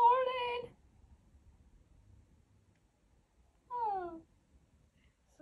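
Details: Pet cat indoors in the morning, reacting to its owner's chatter; two clear meows, the first a steady tonal meow, the second a falling, drawn-out meow about three seconds later, with quiet room sound between.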